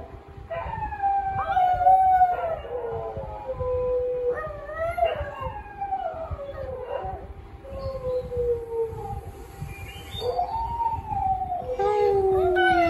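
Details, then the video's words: A pet dog howls in a series of rising and falling wails, some starting with sharp yelping onsets, interspersed with quieter gaps and a constant low hum. "My Dog Howling"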